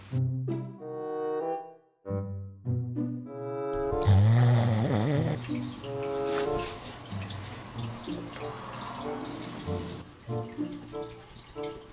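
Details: Background music with tonal melody, dripping water and faint speech, no animal voice.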